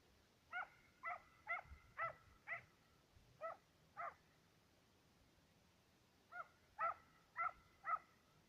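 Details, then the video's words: Two Serbian hounds trailing fox and roe deer, giving bursts of ringing harmonic bays at a steady trot-like pace, a pause of about two seconds, then another quick run of bays. "Serbian hound,two dogs on trail(fox & roe deer)"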